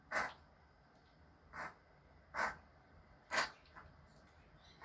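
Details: Four abrupt, airy sneezes from Choco, a male Pomeranian born 13 May 2020 that has been sick for two months, spaced roughly one to one and a half seconds apart in a quiet room.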